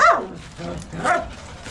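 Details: Male Bakharwal puppy, six months old, giving two drawn-out whining yelps that rise then fall, about one second apart, with steady background hum.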